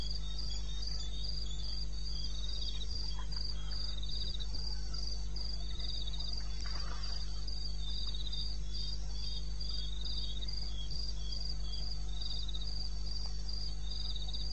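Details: Night chorus of crickets from eastern Botswana wilderness, recorded 21 May at 2:30 am: bright, evenly repeated high chirps in two stacked pitch bands, with a constant low rumble beneath and a few faint clicks.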